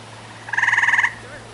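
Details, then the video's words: Tree frog calling from a tree, its throat swelling: a single loud rattling trill of about a dozen rapid pulses lasting half a second, then quiet hum. "Watch How A Tree Frog Screams"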